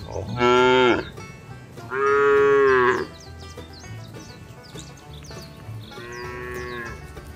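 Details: Cattle being driven to their barn during the rainy season give three loud, harmonic moos about a second long each, spaced a couple of seconds apart, with faint bird chirps behind.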